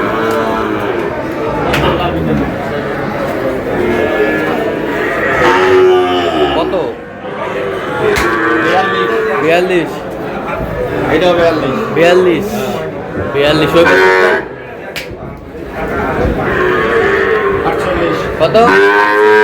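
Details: Small bull calves gathered by a Narsingdi farmer on 6 July call almost nonstop. Many overlapping, bending harmonic bawls form a dense chorus with brief pauses and some human voices mixed in.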